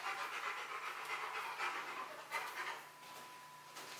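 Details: Bruno the Rottweiler pants during a box maze challenge, where he was confused at first but kept going and reached the prize; rapid breathy panting, about four breaths a second, with a faint steady tone in the background.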